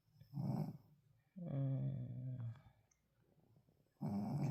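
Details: A very tired Shih Tzu snores while sleeping, in low, buzzy, drawn-out breaths of about a second each, with quiet gaps between rumbling, rattling bursts in a deep, growl-like register.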